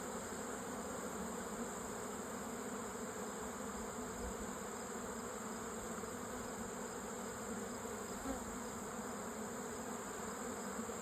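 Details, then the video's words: Honey bees at their hive in mid September, a steady dense droning hum with no breaks, many wings buzzing together as a continuous low murmur throughout, with a faint constant high-pitched tone in the background. "Mid September bee visit at our hive."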